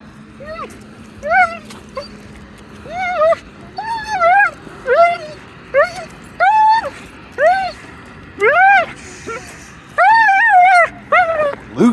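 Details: Dog giving a long run of high, arched whines and yelps, each rising then falling, repeated roughly every half second to second with brief gaps, with faint background hum.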